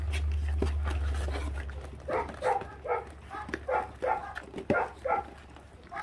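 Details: Five 28-day-old feral puppies, siblings stripping raw meat to the bone and already on guard; short tonal yelping barks come in a rapid series about every half second after a low steady hum fades.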